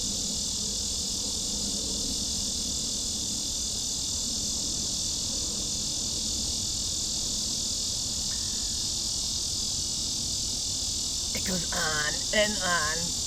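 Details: A lyric cicada (Neotibicen lyricen) gives a long, steady, buzzy and rattling drone without a break. It is the longest local cicada song, lasting up to a minute, and the species is common along waterways.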